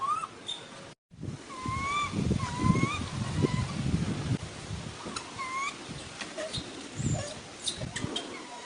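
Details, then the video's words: Young monkey wanting milk cries in smooth, slightly bowed whines, repeated about every second with a clear overtone above, over low rumbling handling and movement noise; a brief dropout near the start. "The little monkey is addicted to milk, crying and making noise."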